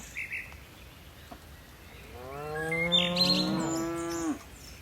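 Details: A moo from tame cattle in a herd of dozens bounding down a mountain slope. One drawn-out, rich, harmonic low of about two seconds swells and then cuts off, with faint bird chirps in the background.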